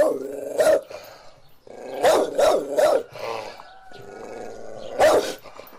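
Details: Dog giving a series of sharp barks: one early, a quick run of three near the middle, then a final single bark, with a low continuous growling rumble filling the pauses between them.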